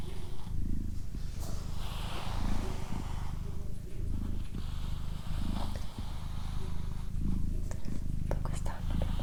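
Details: Doroti, a female domestic cat, purring steadily: a deep, low rumble swelling and easing in rhythmic breaths about once a second, with soft human whispering and faint rustles above it.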